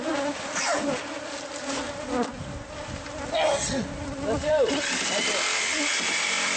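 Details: Bees from a hive hidden inside the walls of a newly bought house, disturbed during removal by pest control; a dense, steady droning hum fills the air while single bees swoop past with rising and falling buzzes.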